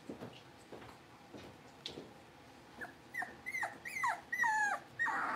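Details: Blenheim Cavalier King Charles Spaniel puppies, a litter of five born at New Year, newly moved to a big pen; quiet background scuffling, then a run of high, wavering whines and squeaks that rise and fall, growing louder toward the end.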